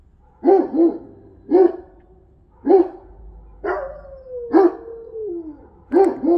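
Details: Central Asian Shepherd dogs in the snow in Illinois give deep, hoarse barks in spaced bursts about once a second, one bark trailing into a long falling whine, with a quiet outdoor background.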